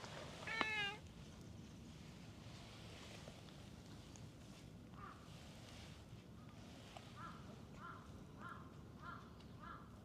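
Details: Orange tabby stray cat at a ferry terminal after rain, heading to the ticket office to eat; one clear wavering meow near the start, then soft rumbling background noise and a series of short repeated chirping sounds toward the end.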